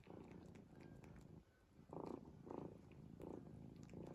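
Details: Domestic cat snoring in its sleep, a steady run of low buzzy breath pulses repeating roughly every two-thirds of a second after a brief quiet pause, close and soft in a small indoor room.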